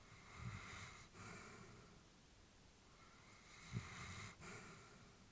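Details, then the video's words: Elderly female Labrador Retriever asleep indoors, breathing peacefully: two slow, soft, airy breaths with a faint snoring rasp, roughly three seconds apart, in an otherwise quiet room. "Elderly dog sleeping with breathing sounds"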